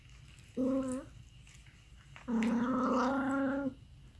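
An aardvark gives two steady, nasal moans, a brief one followed by a longer drawn-out one.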